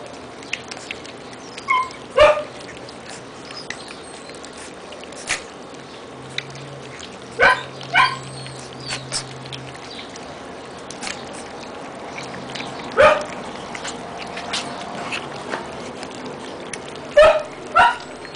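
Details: Four-week-old Siberian Husky puppies at feeding time, 10 May 2009: short, sharp squealing yelps and whimpers with bright harmonics. They come in scattered bursts of two or three, separated by quiet stretches with a faint low hum.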